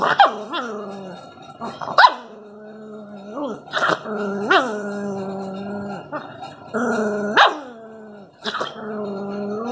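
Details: Rottweiler puppy showing inborn aggression: drawn-out, tonal, rumbling growls broken by sharp, yelping barks at roughly two-second intervals, the growl dipping and rising between each bark.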